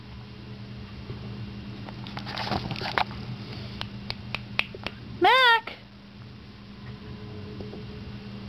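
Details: Twelve-week-old Cardigan Welsh Corgi puppy Mac hiccups under a futon: scattered soft clicking hiccups, then a loud, wavering high whine lasting about half a second, while a woman comforts him.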